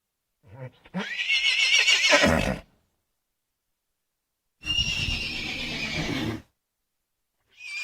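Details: Horse neighs in two bursts: a high, shaky whinny that rises then falls away, followed after a pause by a noisier, harsher neigh with breathy low rumble, and the start of another at the end.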